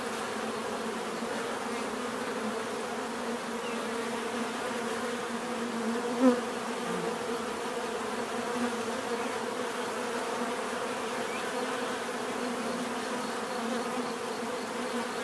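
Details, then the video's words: A natural swarm of bees humming steadily, layered droning bands that hold a constant level, with one brief louder buzz of a single bee passing close near the middle. "bees therapy relaxing natural buzzing sound"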